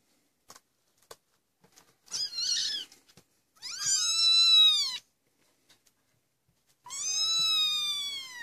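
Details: Twenty-five-day-old Maine Coon kittens at a cattery, trying to leave their nest: three loud, high-pitched mews, one short and two longer, each arching up and then down, separated by brief quiet, with faint tapping between them.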